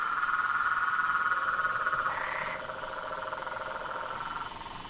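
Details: Frogs and toads in chorus: rapid pulsed trilling held steady, one brief higher rasping burst joining in the middle, then the chorus softening toward the end.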